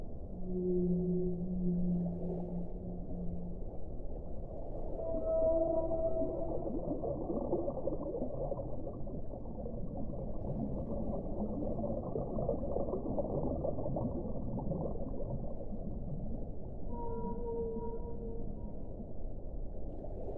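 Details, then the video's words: Whale song underwater: a low drawn-out moan with stacked harmonics opens the clip, then higher whistled tones near the middle and again near the end, all over a constant deep rumbling wash of water noise. "suono delle balene"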